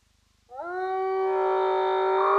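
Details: Spotted hyena whooping at Roy's Dam, caught by a streaming camera: one long, low, richly harmonic note that lifts briefly at its start and then holds steady, over a faint low hum.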